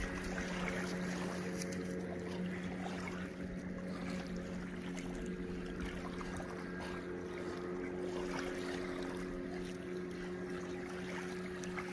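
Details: A steady motorboat engine drone runs throughout, with wind and water noise and no animal voice.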